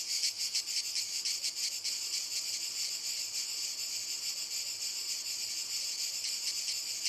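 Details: Cicadas singing in walnut trees: a dense, shrill buzzing chorus, pulsing rapidly during the first two seconds, then settling into a steadier, unbroken high hiss.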